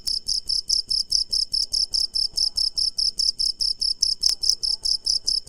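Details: A cricket chirps at night in steady, rapid pulses, each a bright high trill repeated several times a second.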